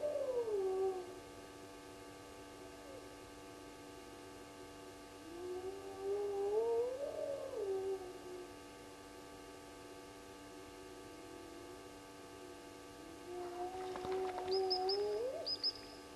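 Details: Spotted hyenas calling at night at Gowrie dam waterhole, Djuma Game Reserve, Sabi Sand, South Africa, late May: three drawn-out, moaning whoops that swoop down and then rise, spaced several seconds apart, over steady electrical hum.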